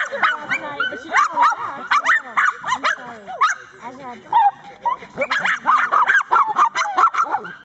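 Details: Cairn terriers excited while waiting their turn for rat races, keen to race through a tunnel after rats; rapid overlapping yips, whines and sharp barks, several dogs at once, near-constant chorus with brief dips and a person's laugh at the start.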